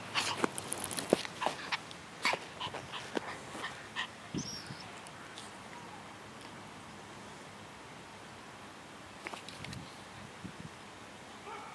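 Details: Eve, a pet long-haired toy Chihuahua, on guard duty at home; a cluster of short, sharp, high yips and snuffles in the first four seconds, then scattered soft sounds and a quieter stretch before a few final yips.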